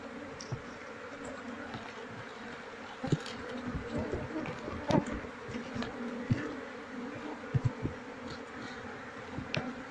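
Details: A honey bee colony being transferred into a cultivation box, the keeper looking for the queen so the swarm follows. A continuous droning hum from many bees, with scattered clicks and handling thumps throughout.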